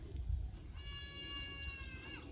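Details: Young farm goat calling in distress after waking alone and finding herself separated from the others napping under a tractor; one quiet, sustained, slightly wavering bleat lasting about a second and a half, over a low rumbling background.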